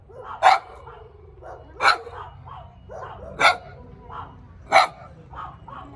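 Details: Little dog barking loudly and sharply about every one and a half seconds, four strong barks with softer yaps between them.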